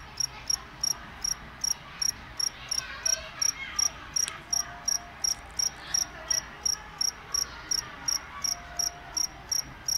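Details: Cricket giving a steady run of sharp, high chirps, roughly 27 in ten seconds, evenly spaced, with a brief sweeping noise in the middle and faint background hum.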